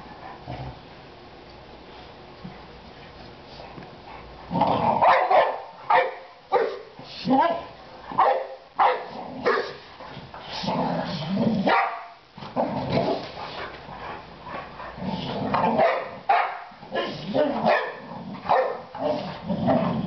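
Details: Three pet Boxer dogs barking: after about four seconds of quiet, loud sharp barks come in quick irregular bursts, closely spaced and overlapping, for the rest of the recording. People's voices can be heard in between.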